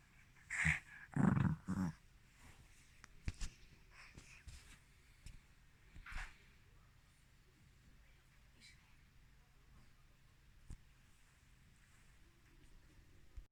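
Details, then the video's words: Chiroru, a female Mal-Shi (Maltese father, Shih Tzu mother) born July 2017, sneezing indoors on 14 November 2020: a few sharp snorting bursts in the first two seconds, then soft sniffs and small noises in a quiet room. "マルシーズー ちろる くしゃみ"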